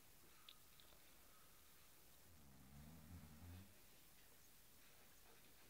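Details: Cairn Terrier playing with a cushion indoors, giving a single low, rumbling growl of about a second and a half in an otherwise quiet room.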